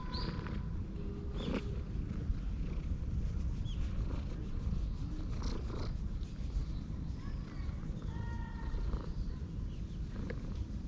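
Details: Steady low purring from an affectionate calico stray of unusual colouring as it pads in circles around its companion, GoPro HERO8 recording; thin whistled chirps drift in over the rumble, with a few brief knocks.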